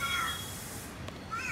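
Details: A cat gives a short, high, level meow, then a second one begins near the end, over low background noise.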